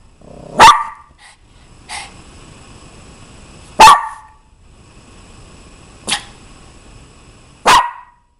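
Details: Mimosa, a pet Maltese, barks in short, sharp single yaps. Three strong barks come about three seconds apart, with two softer ones between them, in a quiet room.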